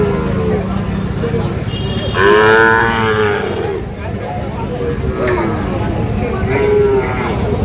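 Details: Sahiwal cattle, fattened bulls and calves for sale at Ambari haat cattle market, Parbatipur, Dinajpur, Bangladesh, on 5 May 2025: a drawn-out, wavering moo around 2–3 seconds and a shorter one near the end, over crowd chatter and market noise.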